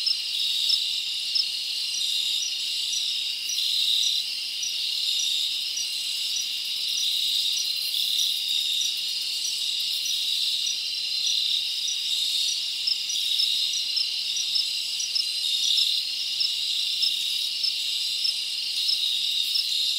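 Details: Summer night in the forest with many crickets chirping together, an unbroken shrill buzzing band of sound with faint rhythmic pulses throughout and nothing else audible.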